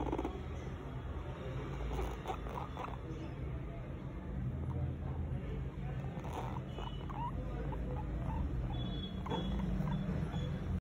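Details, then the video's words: Young guinea pig giving a loud vibrating sound: a deep, fast-pulsing rumble that holds nearly unbroken, punctuated by a few soft squeaky chirps and light tapping noises. "Guinea pig baby vibrating loud"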